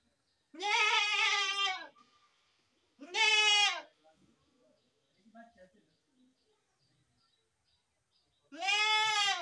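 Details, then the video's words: Goats bleating: three loud, tremulous, richly harmonic calls, the first over a second long, separated by quiet gaps holding faint murmurs and small noises. "best goat sound in the world | goat sound"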